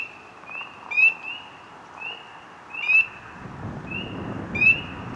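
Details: Frog filmed close up in water, ripples spreading from its body as it calls: clear, mid-high tonal notes with brief upswept accents, about one call every second or two, and a low rumble near the end.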